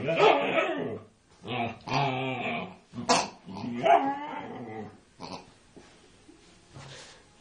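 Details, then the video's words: Female Siberian Husky attacking a pig: a burst of loud, rough, barking howls and growly yowls in quick succession, fading into softer, scattered whimpers and huffs. "siberian husky attacking a pig"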